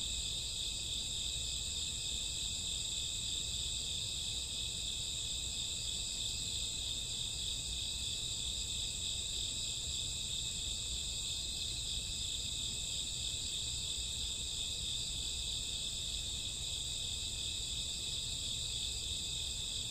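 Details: On a summer or autumn night, crickets and grass insects fill the dark with a steady, ringing high chorus, several stacked shrill tones running without pause, a gentle low rumble underneath.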